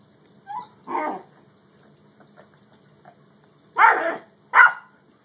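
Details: Dog barking during a Great Dane versus yellow Labrador encounter: a soft yip, then a short harsh bark near one second, quiet for over two seconds, then two loud rough barks in quick succession near the end, in a quiet indoor setting.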